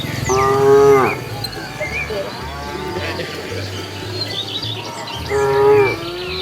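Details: Roadside cows foraging for food: two loud, even-pitched moos, each under a second, at the start and near the end, separated by quieter murmuring and a low hum.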